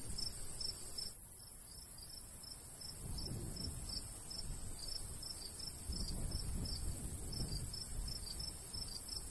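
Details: Summertime countryside crickets near a golden wheat field, rapid high chirps from more than one insect, overlapping and uneven, with gusts of breeze swelling in the low range.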